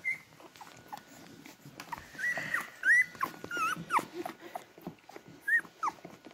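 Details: Newborn Beagle puppies in a litter taking their first steps toward their mother to feed, giving thin high squeaks and whines, several overlapping, with rustling and soft shuffling of the nest.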